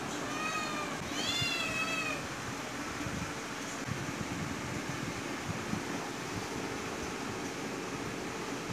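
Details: Hunting cat stalking a small bird lets out a short run of rising-and-falling meows in the first two seconds, rich in stacked overtones, followed by quiet rustling and constant background hiss.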